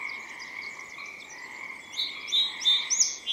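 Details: Pacific tree frogs in spring, recorded in the morning at a favourite spot near a river in forest: a dense chorus forms a steady high trill, and a song sparrow that landed nearby adds bright whistled notes in the final seconds.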